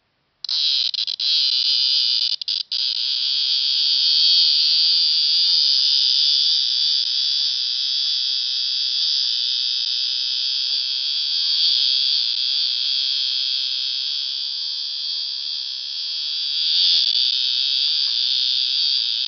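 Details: Cicada at KU Dharwad, India: a loud, continuous shrill buzzing drone, steady and unbroken for the whole stretch, with a few faint clicks near the start.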